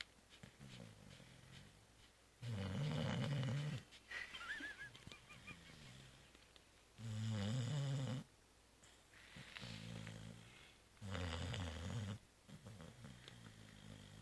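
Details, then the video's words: Pet cat Zoé, deeply asleep following Christmas Eve and Christmas brunch, snores steadily indoors: four strong, buzzy, low inhalations roughly every four to five seconds, separated by softer wheezing breaths. "Zoé ronfle 2"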